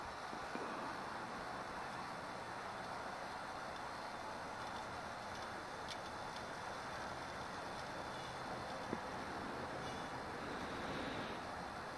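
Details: Steady broadband road or vehicle noise fills the scene with a faint tone above it, and no animal voice is heard.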